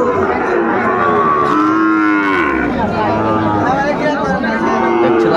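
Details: Sahiwal bull at Ambari cattle market in Netrokona, Bangladesh, 8 November 2024, mooing loudly and steadily for over five seconds, the tone rising then sliding down in harmonic bands, with crowd murmur beneath.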